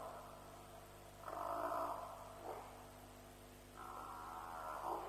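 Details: African buffalo calling at a lions' kill at Djuma around 3 am on 07/03/07, from a live wildlife stream: two drawn-out, harmonic bawling calls, the second longer and wavering, over a steady low electrical hum.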